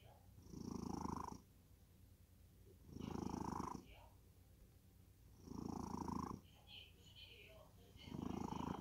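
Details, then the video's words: Domestic cat snoring in deep sleep indoors, slow breathy rumbling snores repeating roughly every two and a half seconds, four snores with quiet gaps between. "고양이 코골이? 깊은 잠에 빠져든다."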